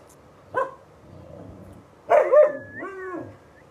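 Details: Alaskan Malamute giving a short yelp, then a louder drawn-out, wavering woo-like vocalization with falling tones, lasting about a second.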